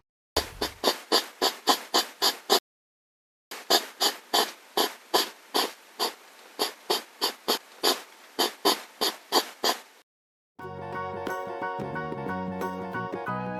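A hedgehog snuffles and huffs in quick, breathy bursts, about three or four each second, before music begins.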